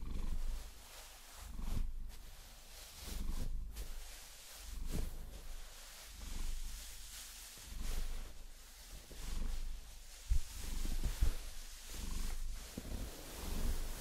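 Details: Vasilisa, a Maine Coon cat, purring while being massaged and scratched with long nails; a deep low rumble swells and fades in slow cycles about every second and a half, with scratching and tapping noises and a few sharp clicks.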